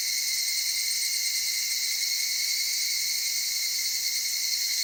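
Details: Evening cicadas in the cedar forests of the Okutama area, Tokyo, Japan, near mountain streams and highlands. A steady, shimmering high-pitched insect drone with layered bands that holds without a break, with no other clear sounds.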